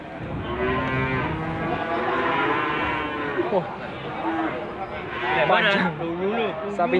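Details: Limousin cattle at Gondanglegi livestock market in Malang, East Java, 12 February 2020; low sustained moos from many animals, then sharper rising-falling bellows near the end, amid a busy crowd murmur.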